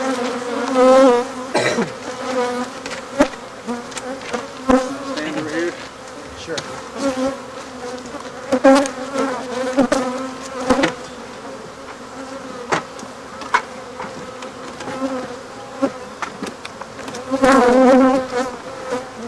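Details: African honey bees buzzing as their hive is removed and the colony killed; a dense, steady hum with stacked low tones runs throughout, swelling in louder bursts near the start and end, with sharp knocks and clicks scattered over it.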